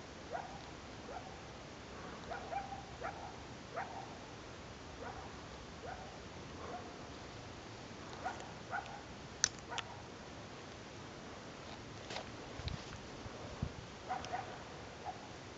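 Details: Distant coyotes at the top of Mill B South near Lake Blanche, Big Cottonwood Canyon, heard every year there, call in brief, high yips and whimpering barks, scattered irregularly with sharper notes, over a steady low hiss.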